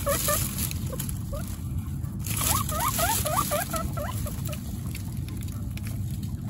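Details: Female guinea pig Coconut and her babies Pistachio, Pumpkin and Snow, kept among 29 guinea pigs: a quick run of rising squeaks midway through, about eight notes in two seconds, set against steady low rumble and rustle.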